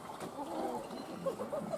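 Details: A snow leopard at Tama Zoological Park in Tokyo, Japan, clinging to a bone, gives a low, rough, rumbling growl with a few brief higher catches in the voice; filmed 2019.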